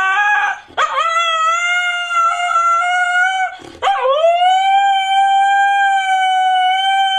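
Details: Siberian husky giving two sustained howls, each opening with a short scooping rise, then holding a steady, even pitch for several seconds, with a brief breath gap between them.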